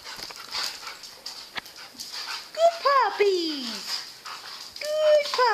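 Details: Male American Pit Bull Terrier at an SPCA adoption shelter, May 2012, with other dogs nearby. Two bursts of high, wavering whines rise then slide downward, one lasting about a second, with people talking and greeting the dogs throughout.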